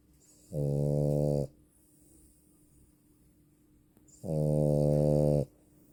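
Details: Female French Bulldog snoring in a quiet room, two strong, low droning snores about a second long each, spaced around three and a half seconds apart.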